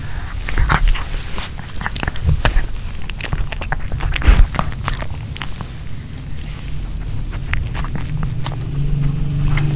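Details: Pomeranian named Nino eating a homemade chicken hearts kebab with bell pepper indoors; crunchy bites and wet chewing clicks come in dense, irregular bursts over a low, steady hum.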